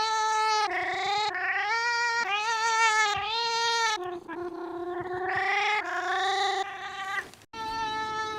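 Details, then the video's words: Domestic cat making weird drawn-out meows while wanting to be petted; long harmonic wails, some rising and falling, following one another almost without pause, with a brief gap near the end. "Cat Making Wierd Noises Compilation"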